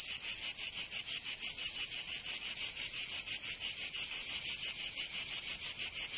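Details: Cicadas singing in summer in Provence, southern France: a dense, loud buzzing drone pulsing in rapid regular beats, about three per second, with no other sounds.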